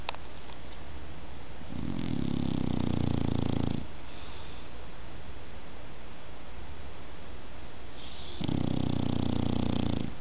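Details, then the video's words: Sleeping dog snoring in a small room, two drawn-out low, grating inhalations roughly six seconds apart, separated by near-silent breathing gaps and steady background hiss. "cachorro roncando"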